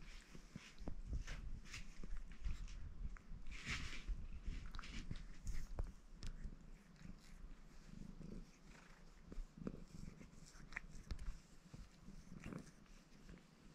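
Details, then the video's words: Baron, a ginger Maine Coon tomcat in a purring mood, washes himself; a steady low rumbling purr runs throughout, broken by soft licking and rustling clicks. "Рыжий кот мурчит и умывается"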